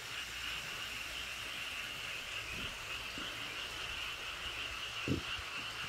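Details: Many frogs calling together in a valley stream at Toechon's Cheonjinam: a continuous high buzzing chorus that never breaks, with a few soft low knocks and a brief thump near the end.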